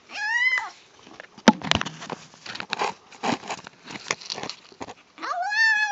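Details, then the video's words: Indoors, a female kitten eating gives a short falling whine at the start and a rising nasal call at the end, with crunching and chewing noises and clicks filling the middle. "Kitten Makes Funny Noises While Eating"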